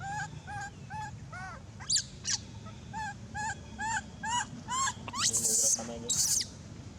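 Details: An abandoned young monkey cries very loud, giving a rapid series of short, rising-and-falling whimpering coos repeated about twice a second, ending in two long, harsh shrieking screams; faint low background noise.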